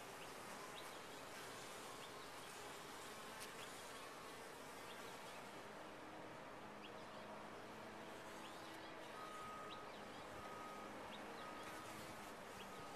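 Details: Massed buzzing of bees within a top-bar hive, a thick even hum with a few short higher tones from single insects near the end.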